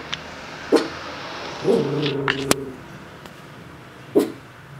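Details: A four-month-old Miniature Pinscher watches through a window, giving two brief sharp barks about three seconds apart, with a drawn-out whiny vocal sound and a sharp knock between them indoors.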